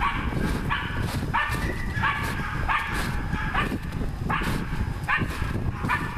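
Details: Hunting dog barking while working a wild boar: short rising harmonic barks about every three-quarters of a second over a constant heavy low rumble.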